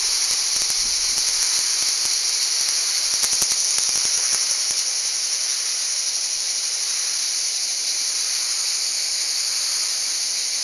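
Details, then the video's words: Val Trebbia cicadas in Italy keep up a steady, high sizzling drone, with a short run of faint rapid clicks early on before the buzz continues alone. "cicale in valtrebbia"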